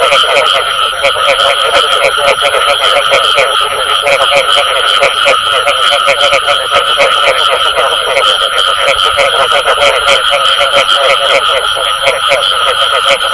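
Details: A long run of frog calling with bù tọt sounds, steady rapid pulsed croaks layered into a thick chorus, and a persistent high hum with background hiss.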